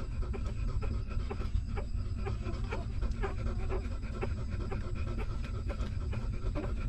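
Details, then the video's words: Hungry newborn puppy of a stray mother dog sucking milk while she nurses her litter; quick rhythmic smacking and sucking pulses, several per second, over a steady low rumble, with a few faint short squeaks between them. "Hungry Puppy Sucking Milk"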